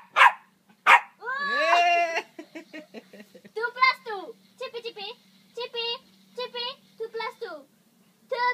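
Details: Shih Tzu giving a run of short, high yapping barks with harmonic stacks, repeated in quick bursts after an opening whine, with a person's voice at the start and a faint steady hum underneath.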